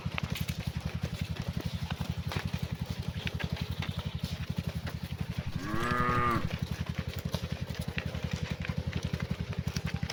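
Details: Cattle calling to the herd during the afternoon walk back to the barn: one brief moo with strong stacked harmonics in the middle, against a continuous rapid low thudding motor sound throughout.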